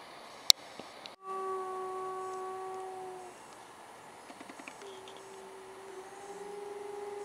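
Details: A white gray wolf at the Toronto Zoo gives two long, steady howls, the second rising slightly in pitch as it fades.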